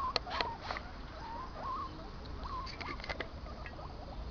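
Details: Two pet guinea pigs, Bailey and Casper, kept apart because they fight, out in their outdoor run for the first time this year on the first warm day. Soft, short rising squeaks repeat, mixed with light clicking patter.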